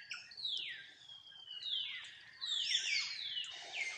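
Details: A tiny mini monkey calls its mother for help with long, high, whining cries that slide steadily downward, about four drawn-out wails with short gaps between them.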